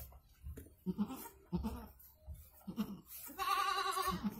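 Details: Goat in Indonesia during the birth of two kids: a few low soft grunting calls, then one long, loud, slightly wavering bleat at the end.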